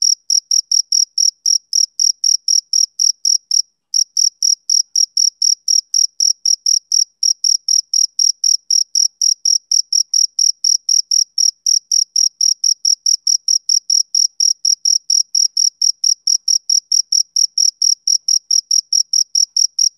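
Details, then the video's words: Steady high chirps from a male cricket on a summer evening, fast pulses around five per second, with one short break early on before the sharp, regular rhythm continues unbroken. "Cricket Chirping Sound Effect"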